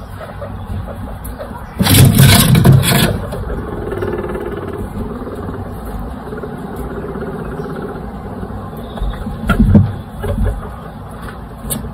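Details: Low rumbling room background with a loud broadband burst of knocking noise around two to three seconds and a smaller burst near ten seconds; no animal calls.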